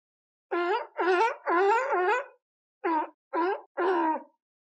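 A sea lion gives a string of hoarse, rasping barks with a honking, harmonic-rich tone.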